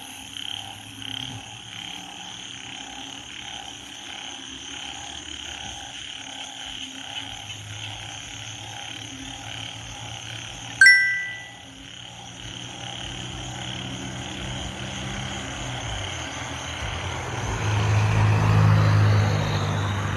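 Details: Banded bullfrogs out in the rain, a steady chorus of rapid, repeated croaks over a low hum, a sharp knock near the middle, and rising noise toward the end, with music in the background.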